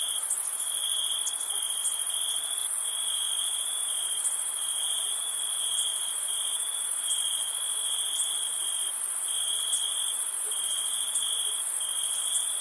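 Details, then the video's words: Crickets calling on a summer night, an unbroken high trill that occasionally stutters in short breaks, topped by a bright, fizzing upper band with scattered pulses. A quiet, even nighttime backdrop. "Crickets Summer Night"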